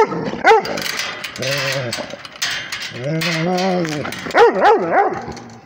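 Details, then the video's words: Rhodesian Ridgeback reacting to a tablet: a couple of quick barks at the start and end, with two long, steady moaning whines in the middle over a noisy, voice-like background. "Rhodesian ridgeback barking at the tablet"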